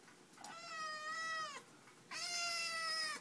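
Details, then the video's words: Eight-week-old black Siamese kitten chattering about its new dog brother indoors: two drawn-out meows, each over a second long, the first dipping down at its end, the second held steady, with a short pause between. "Talking Black Siamese Kitten"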